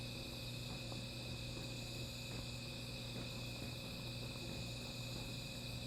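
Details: Continuous shrill insect calling at night near a small fire, an even unbroken drone at high pitch with soft crackles and a low constant hum.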